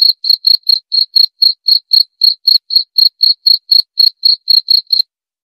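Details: A cricket chirps steadily, about four sharp high pulses each second, bright and metallic, running for five seconds before stopping; the background is completely quiet.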